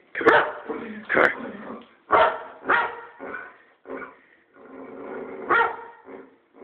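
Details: Pet boxer dog barking randomly at its owner: a run of sharp, loud barks mixed with softer grumbling and whining vocalizations, bursts coming roughly every half second to a second.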